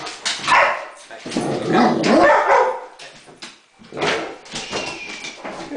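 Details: Thor, a Great Dane, barking at a remote control helicopter that has just fallen, with the dog Gixxer sharing the dislike: three harsh, mid-pitched bark bursts with a short pause before the last, and a person's voice nearby.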